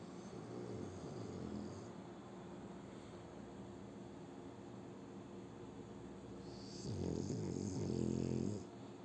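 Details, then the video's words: French Bulldog named Shturm sleeping and snoring: soft, rough rumbling breaths at first, then two loud, drawn-out, low snores near the end. "Французский бульдог Штурм Вот так Спит и Храпит"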